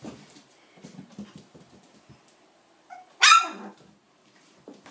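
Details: Seven-week-old puppies: soft scuffling and faint squeaks give way to one sharp, high yelp-bark that drops quickly in pitch, then quiet again with a low whine near the end.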